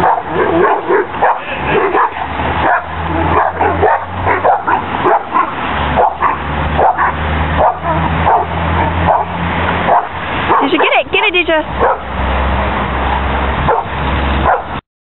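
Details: Playing Cane Corso dogs tug at a spring pole, giving rapid rough barks and growls in a near-continuous run, with a low steady hum under the whole stretch.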